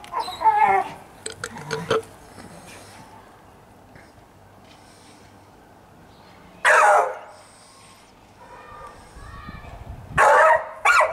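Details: Staffordshire Bull Terrier named Fudge, a pet at play in the sunshine on Mother's Day, 26 March 2017; human chatter early on, then two loud, broad barking bursts several seconds apart amid quiet background.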